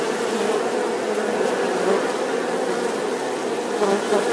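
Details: Continuous buzzing of bees, a thick, unbroken hum with slight wavering in pitch and loudness, no other sounds standing out.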